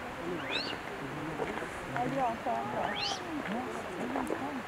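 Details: Japanese macaque troop moving together at Jigokudani, Japan: many overlapping short tonal coos, some rising, some arching up and down, with occasional higher squeaky calls over a steady background hiss.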